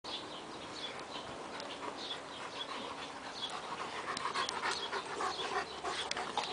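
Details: Saint Bernard dog jumping on a bed indoors, fast noisy breathy panting at roughly three to four breaths per second, steady throughout, with rustling of bedding.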